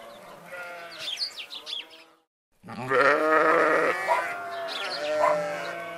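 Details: Sheep in a flock with goats: a burst of bleats stops briefly, then a dense, sustained run of overlapping wavering bleats from many animals.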